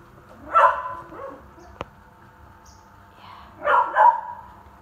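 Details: Shelter dogs barking at feeding time because they are hungry; two short bursts of barking about three seconds apart, with a sharp click between them and a low background hum.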